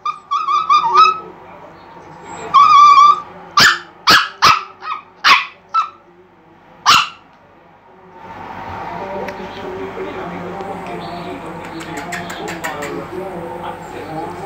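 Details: Milo, a pet Chihuahua, calling for attention: two wavering, whiny tonal cries open, followed by five or six sharp, high barks spaced about half a second apart, then a stretch of low, muffled indoor background noise.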